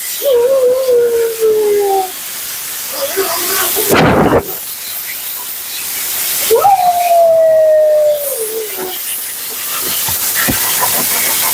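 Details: Mila the Siberian Husky, vocal and dramatic during a bath and blowout at the groomer; two long descending whining howls separated by a loud burst of blower or spray noise, with hissing water throughout.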